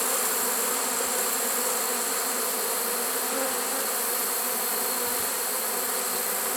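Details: Many honey bees buzz together in a trapped swarm, caught surprisingly late in the season on 1 September 2019; the hum is constant and dense, a low steady drone with a strong hissing overlay and faint flutters of individual wingbeats.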